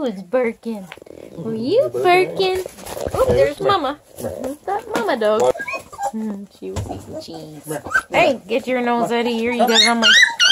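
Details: Hungry Redbone Coonhound puppies at a hound breeder near Kingston, Ontario, Canada, crying for food: many overlapping high, wavering whines and yelps rising and falling in quick succession, with short gaps between bursts.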